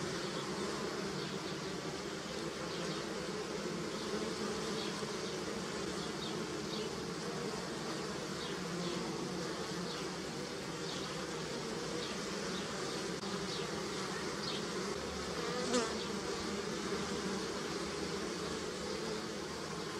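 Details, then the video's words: Bees foraging on pussy willow blossoms make a dense, steady drone of overlapping buzzing hums that hold level throughout, with faint high ticking and a brief sharp click near the end. "Bee Sounds _ Pussy Willow"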